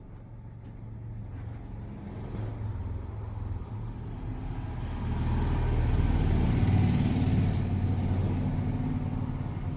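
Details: A deep rumbling vehicle engine grows louder midway as if passing close by, with no animal sounds heard.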